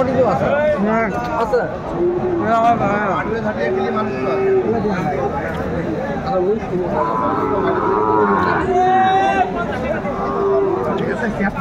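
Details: Sahiwal bulls for sale at Aftabganj cattle market in Dinajpur, Bangladesh, on 28 January 2025, where Dhaka farmers are buying. Drawn-out bovine lowing rises through a dense hubbub of crowd chatter and bargaining voices.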